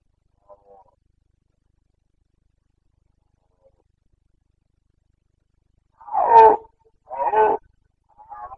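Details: Roaring of a Carpathian stag in the Bucovina mountains, Romania, rut of late September 2022: after long quiet, two loud rasping roars close together, then a fainter start of a third.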